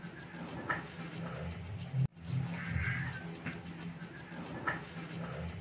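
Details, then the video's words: A black cricket taken from the wild trills in rapid high chirps with a brief dropout near the two-second mark, accompanied by a low hum and a faint breathy noise. "Suara asli jangkrik hitam"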